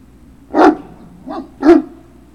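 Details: Great Dane puppies at Puppy Hill recorded on 3 June 2019 in the late afternoon; three short barks, the middle one softer, spaced about half a second to one second apart.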